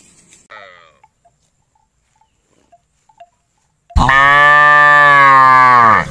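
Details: Village cow roaming, a few faint clicks and knocks, then one loud sustained moo of about two seconds, strongly harmonic and level before dipping at the end.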